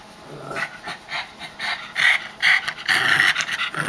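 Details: Pug making funny, rather angry-sounding noises while getting a back rub indoors: a series of loud, rough, snorting breaths at an irregular pace, about two per second, with a couple of raspy drawn-out exhalations.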